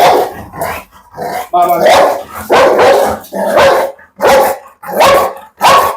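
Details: Pit bull kept as a pet and described as ready to bite and tear: deep, rasping barks in a steady series, one every half second or so, with a voice briefly audible beneath them.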